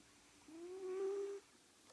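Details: Cat asleep, giving one whistling snore almost a second long, a thin tone that swells and rises slightly before stopping, with near silence around it.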